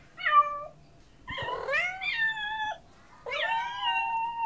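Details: Domestic cat meowing in a compilation of cute cats: three separate meows, each a clear tonal call that rises and then falls, the last one longer and drawn out, with a quiet room in the background.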